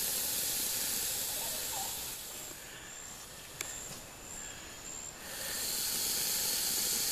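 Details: Defensive boa constrictor at the Lodge at Pico Bonito, northeastern Honduras, April 2017: a long, broad breathy hiss for the first two seconds, a quieter gap, then another sustained hiss; a steady high insect whine underneath.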